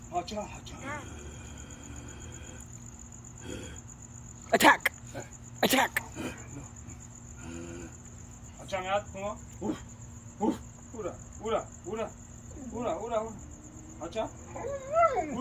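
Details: Eight-month-old Presa Canario named Puma practising barking in July 2021, with a few loud clicks and knocks early on, then a run of short, rising-falling whining yelps repeated about every second, over a constant high buzzing hum.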